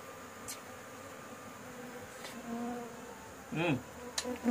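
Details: Bees buzzing at a rooftop nest during a honey harvest. A steady droning hum runs throughout, with brief louder buzzing passes and a short spoken murmur near the end.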